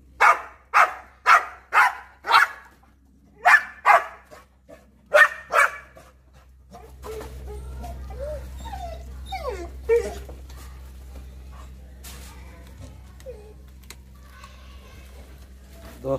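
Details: Pit bull reacting madly to a monkey: about ten sharp, loud barks in quick succession over the first six seconds, then a steady low rumble with scattered clatter and faint squeaky sounds.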